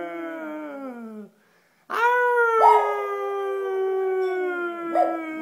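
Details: Benji the dog howling along: a falling howl tails off, then after a brief pause a new long, steady howl begins, holding its pitch for several seconds with a slight downward drift.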